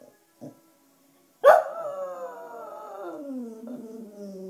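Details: Black female pet Cocker Spaniel, which howls to wind instruments, especially clarinet: a sharp bark-like onset, then a sustained harmonic howl gliding slowly downward for about three seconds, with a slight wavering near the end.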